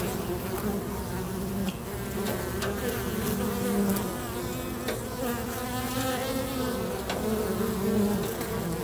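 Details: Busy bees crowd a local bee box in a dense, continuous low hum, with wingbeats rising and falling as they fly near, plus scattered soft ticks and knocks.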